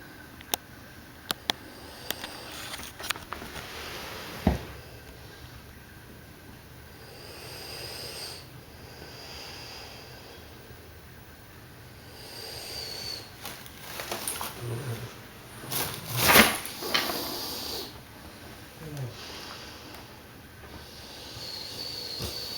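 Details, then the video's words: Dogue de Bordeaux sleeping indoors, snoring: soft breathy snores with noisy bursts, louder rough snort-like snores clustered mid-clip, a steady high electronic whine running throughout. "Snoring Dogue De Bordeaux"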